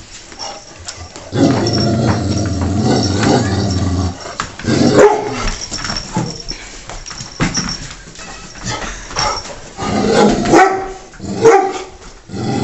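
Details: Taz, a pet dog, picking on Sky, the household cat, in a daily indoor routine: a sustained low rumbling growl of about three seconds, then a run of short, sharp barks and snarls at uneven intervals.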